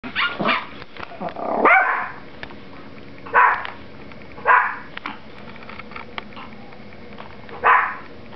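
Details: Pet Yorkshire Terriers indoors in the afternoon, reacting to a small mechanical toy Yorkie placed on their play floor; a rapid burst of barks followed by single sharp barks spaced one to three seconds apart.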